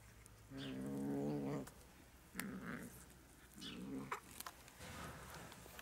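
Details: A new grey kitten scratching at a person to get some of the meat, giving a low harmonic growl about a second long, then two shorter growling bursts with brief scratchy noises between.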